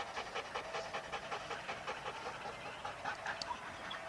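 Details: Huskies at a sled dog race weekend in the Forest of Dean, November 2001, captured on old VHS tape: quick rhythmic panting, breath after breath at a steady pace, over a busy hiss of background noise.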